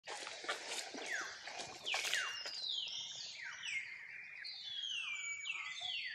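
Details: Tiny young monkey crying to call its mother to come and help it; a dense run of shrill squealing cries, each sweeping sharply downward in pitch, following one another almost without pause amid faint background rustle.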